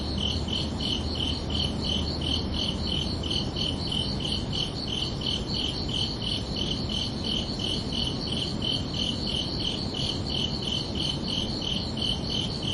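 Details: Chirping crickets on a summer evening at night, a continuous rhythmic series of shrill pulses near three per second, with steady low noise and a faint low hum early on.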